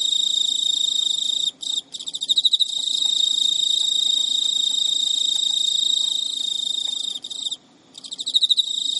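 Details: Captive male Emma field cricket in Japan keeps up his courtship song at midnight, early September 2011, while the female rejects him; a near-continuous high, shrill trill with brief breaks, each followed by several stronger ticking pulses.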